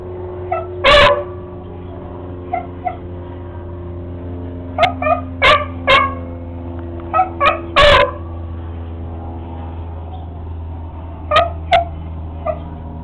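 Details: Barking at a lizard, Sammy the beagle lets out loud barks and softer yips in irregular clusters, with a steady humming drone underneath.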